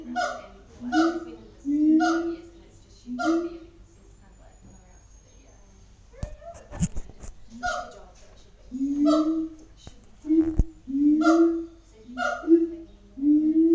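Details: Siamangs calling in a zoo enclosure at Auckland, New Zealand: short, strongly harmonic hoots and barks in bursts, several in quick succession with pauses between, a sharp knock near the middle.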